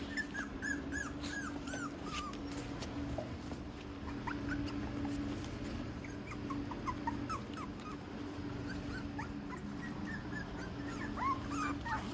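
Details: Cavalier King Charles Spaniel puppies, a litter of six out on the grass for the first time on a hot early morning: thin, high whimpers and yips, short rising and falling notes scattered throughout over a steady low hum.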